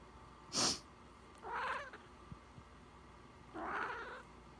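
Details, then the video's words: Pet cat meowing indoors in reaction to its owner sniffling: a sharp sniff, then two drawn-out, mid-pitched meows about two seconds apart, each slightly bending in pitch, in a quiet room. "my cats meow everytime when I sniffle"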